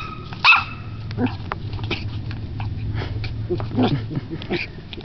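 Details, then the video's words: Ten-week-old Yorkie Corgi mix puppy Bella, newly adopted, gives one sharp high-pitched yip early on, followed by softer scattered yelps and quiet human voices against a low background hum. "Bella found her voice"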